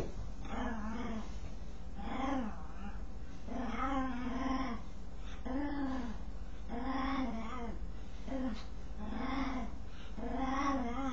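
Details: A dog scratching itself voices repeated tonal groans with rich harmonics, each swelling and fading in under a second, about one every 1.2 seconds, some weaker and broken; low steady background rumble.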